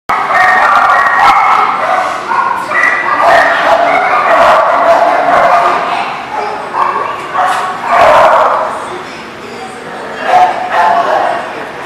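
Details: Dog barking on 19 November 2018, sharp barks in irregular bursts throughout, overlapping a person's voice and general background noise.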